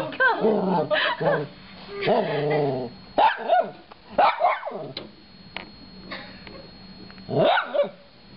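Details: Small male Shorkie kept as a pet, vocalising indoors in a string of wavering whines and yowling cries, some rising and falling steeply, with short gaps and a final sweeping cry near the end.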